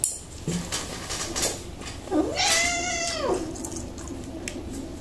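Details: Kitten that likes to eat broccoli gives one drawn-out meow, rising then falling, lasting about a second, with light clinks of dishes and cutlery in the background.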